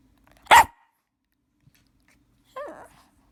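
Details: Shih Tzu puppy barking to ask for a walk, one sharp loud bark followed about two seconds later by a softer, whiny falling yelp in a quiet room.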